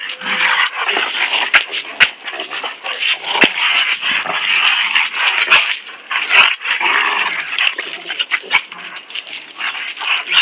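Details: Two dogs, Koody, a German Shepherd and Rottweiler cross, and Kobe, a purebred German Shepherd, play fighting; rough snarling growls and harsh bursts run throughout, broken by sharp clicks and thumps of scuffling.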